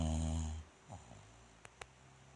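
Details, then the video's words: Bulldog Rikyu, one of two bulldogs with Fukumaru, asleep indoors in a cute pose, recorded 29 November 2016: a single deep, droning snore with rich low harmonics in the first half second, then quiet breathing and two faint clicks. "ブルドッグ 福丸&利休。本日のいびき"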